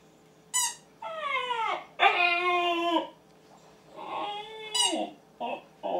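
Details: Siberian Husky practising howling: short falling whines and a sustained harmonic howl near three seconds, followed by quieter wavering whimpers and brief yips in an indoor room.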